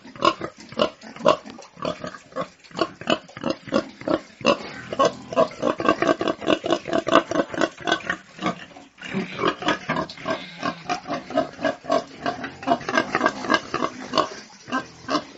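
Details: Domestic pigs on a farm grunt and snort in rapid, overlapping bursts, with occasional higher squeals.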